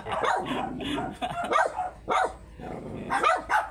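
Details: Tiny Shih Tzu at a stud session in Pangasinan letting out bursts of short, high yapping barks in quick clusters, broken by brief pauses, over a faint murmur of room noise.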